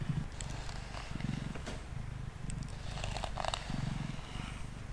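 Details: Close, deep purring from Mango, a male cat sitting on a table while being brushed, with clear pulsing bursts in the low register and faint scratchy brushing above.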